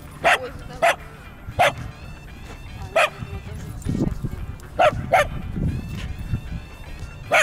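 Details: Pet dogs, Yorkshire terrier, husky and dachshund, on a walk give sharp barks about every second, some doubled in quick succession, over low rumbling and bits of speech.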